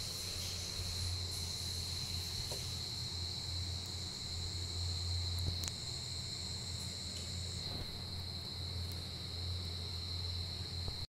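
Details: Giant rice cricket during its breeding season, the one time a year it emerges above ground; a sustained piercing monotone trill runs without pause over a low hum, broken by a few faint clicks and taps.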